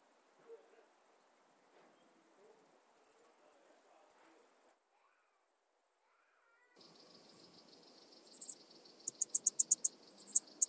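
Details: Alpine saw bush-cricket from Brixen, Italy, recorded 11 September 2022, giving rapid bursts of tiny high-pitched ticks in short groups, a quiet gap, then a denser run of sharp clicks.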